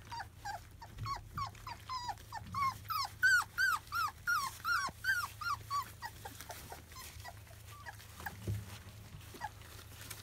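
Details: Field-type Labrador Retriever puppies, 25 days old, indoors around their first weaning food, give a rapid run of high, hooked whines, about three per second, swelling louder mid-clip and then fading, over a steady low hum.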